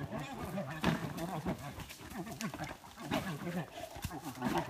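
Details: Two wild American black bears fighting in Canada in May 2017, come upon by a bow hunter: rough, wavering bawls and growls in rapid, overlapping bursts, harmonics stacked low, with scuffling noise throughout.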